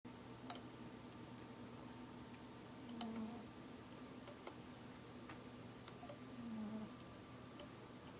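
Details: A fluffy male pet cat snoring softly while asleep indoors: two low, hoarse breaths about three and a half seconds apart over a quiet room with a steady electrical hum and a few faint ticks.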